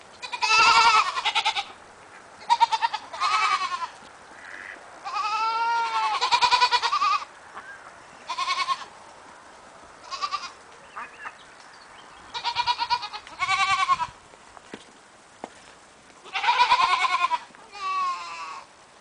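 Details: Cameroon goats bleating: repeated wavering, nasal bleats of varied pitch from several animals, coming in bursts with short quiet gaps between.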